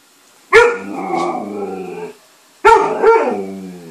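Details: Alaskan malamute picking on another dog at home: two drawn-out, harmonic, woo-like vocalizations, each about one and a half seconds long with a short pause between, followed by a person asking what the dog is doing.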